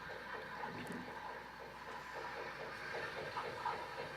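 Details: Killer whale echolocation clicks from the AJ pod in Prince William Sound, a rapid, fairly even train of soft clicks, roughly three per second, over a steady hiss of underwater background noise.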